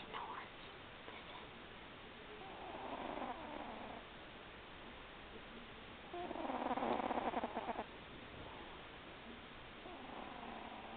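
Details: Milo, a pet cat, snoring faintly while sleeping: soft, breathy rasping bursts recur about every three to four seconds, one louder, longer stretch partway through, all over a steady low hiss.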